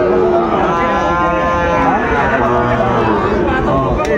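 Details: Sahiwal bull calves for sale at the start of Ambari cattle market, Dinajpur, Bangladesh, on 14 March 2025: a long, low, droning moo with steady harmonics, set against market bustle and men talking nearby.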